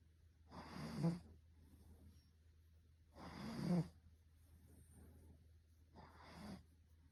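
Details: Russian Blue cat snoring on and on, three rasping, breathy snores about every two and a half seconds, each swelling and ending in a low snort, over a steady low hum.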